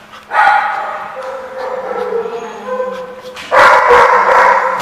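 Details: Dogs recorded 4/10/15 in a noisy chorus of overlapping, harsh barks and yips. The sound swells loudly after a moment, eases to a lower din, then surges again in a dense burst near the end.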